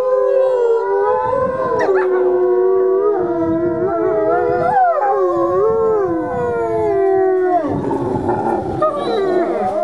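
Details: Several ambassador gray wolves calling together amid their daily dominance interactions, layered wavering howls that rise and fall, mixed with quick yips and whines, continuous chorus with a rougher, noisier burst near the end.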